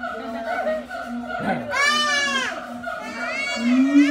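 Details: A siamang at Ragunan Zoo gives loud, wavering, harmonic-rich cries that rise and fall over a steady background hum.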